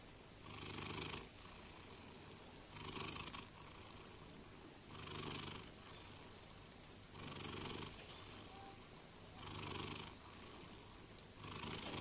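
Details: Slow, even cat purr, each breath heard as a breathy, rumbling swell recurring roughly every two seconds over a quiet background hiss.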